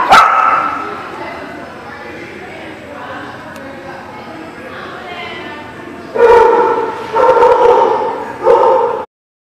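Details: Dogs at a dog park, recorded 23 July 2018: one sharp bark at the start, a stretch of quieter background chatter, then three loud barks spaced about a second apart near the end.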